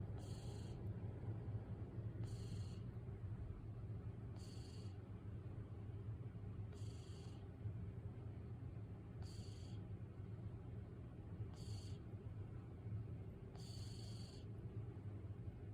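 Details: A sleeping calico domestic shorthair cat, a female about 13 years old, purrs in a low, steady rumble with soft snoring breaths.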